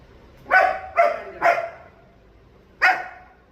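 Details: German Shepherd dog: three loud, rough barks in quick succession, a pause of over a second, then one more bark, against a quiet background.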